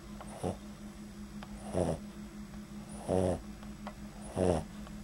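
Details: Bean, a Boston Terrier, snoring lightly while asleep, recorded in extreme close-up at the nostrils; four short rasping snores spaced roughly every 1.3 seconds over a steady low hum.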